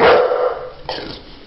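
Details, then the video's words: Pet dog giving a short, rough bark-like vocal burst, followed by a softer second burst under a second later. The sound is brief and broadband, with no other clear sounds. "Funny Talking Dogs"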